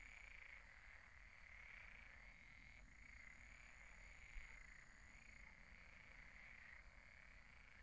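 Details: Frogs calling together at a pond after dark, their croaks merging into one unbroken, wavering trill that rises and falls in slow pulses, with a thin steady high tone and a single soft knock midway.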